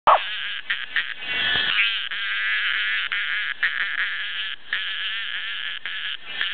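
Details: Cicada buzzing close to a Welsh Corgi that is wary of things making strange noises: a loud, continuous, harsh high buzz with slight pulsing and a few brief dips, held steady throughout.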